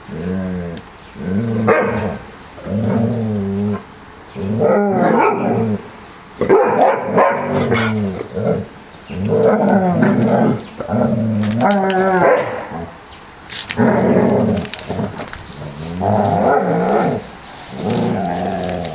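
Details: Kennel puppies romping in the yard, 30 January 2013, 14 °C; repeated throaty growls and yappy whines roughly every two seconds, irregular, mixed with scuffling and clicks of play.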